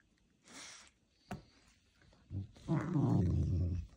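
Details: A wild African serval catching a mouse gives a low, rumbling growl lasting about a second, after a brief hissing rustle.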